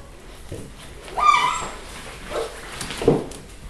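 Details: Eight-week-old pedigree Siberian Husky puppies at the Of Arctic Glance kennel, Lot-et-Garonne, France, filmed 18 March 2013. One short, high, ringing puppy yelp, followed by softer scuffles and low grunting sounds in a quiet indoor setting.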